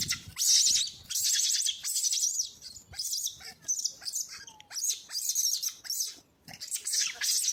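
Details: A baby monkey crying beside its brother after losing its mother gives hoarse, hissing screeches in uneven bursts, loud at the start and fading briefly near the end.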